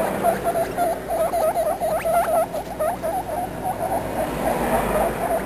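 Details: Young guinea pigs talking with dense, wavering chirps and squeaks, a cluster of higher upward-flicking squeaks in the middle, fading to softer chatter at the end.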